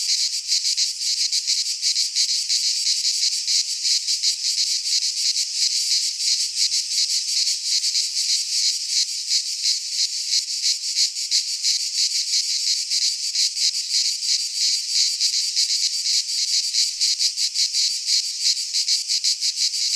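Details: Many cicadas in a Greek pine forest at midsummer, producing an unbroken shrill buzz with a fast ticking pulse about three times a second, loud and even from start to finish.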